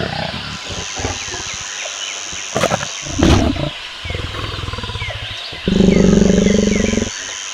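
A lion gives deep, throaty grunts, then a sustained low roar lasting more than a second. A faint high hiss runs beneath it.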